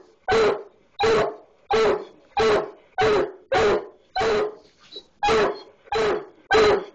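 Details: Hound called Biscuit, found something in the barn wall and barks at the skunk there: ten hoarse, evenly spaced barks, each about half a second long and coming every 0.7 seconds, with a short gap before the last three.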